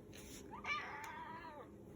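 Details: Persian cat giving a single drawn-out meow lasting about a second, with clear harmonics. The pitch holds steady, then slides downward at the end, over a faint low background hum.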